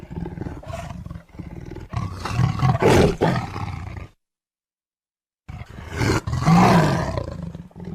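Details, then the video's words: Tiger roaring repeatedly: low, rasping, grumbling roars swell to a loud peak around three seconds in. After a silent gap, a second powerful rough roar rises and fades. "The sound of a tiger roaring/Suara harimau mengaum"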